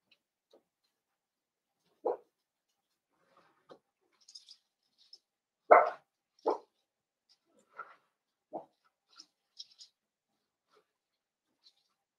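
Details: Blenheim Cavalier King Charles Spaniel puppies, a litter of five born around New Year's, in an indoor puppy pen: a handful of short, sharp yipping barks, about five main bursts over twelve seconds, with faint high clicks and quiet gaps between.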